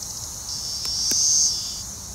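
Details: Chorus of male Cassin's 17-year cicadas, Brood XIII, singing while a pair mates on a green ash trunk in Arrowhead Park, Naperville, Illinois, June 20; a steady high buzzing drone, swelling slightly in the middle with brief clicks.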